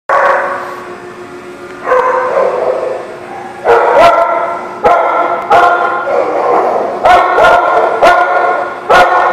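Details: Dog barking at The Barking Lot on 15 September 2018: loud, harmonic barks, some short and sharp, others drawn out, coming in irregular clusters every second or so over a low steady hum.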